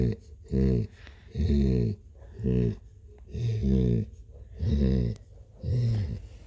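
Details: Purring from Blue the cat: regular low, buzzing rumbles about once a second, each swelling and stopping with the breath, in a quiet room.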